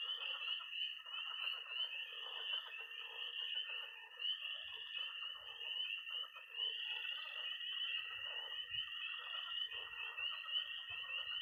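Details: Tree frogs and toads calling at a Missouri pond on an early spring night. A continuous high trill runs beneath dense overlapping peeps, with a few brief low thumps toward the end.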